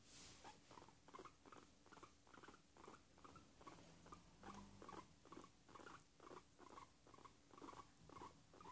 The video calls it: Cobaya haciendo sonidos de gustito